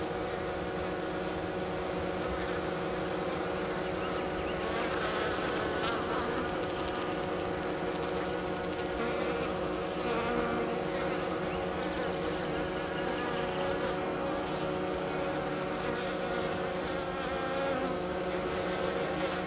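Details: Hygienic honey bees at a hive south of St. Paul, Minnesota, on a 50-degree March 16 day, clearing dead from the hive floor: an even, sustained colony drone of overlapping buzzing wings with steady tonal hum bands.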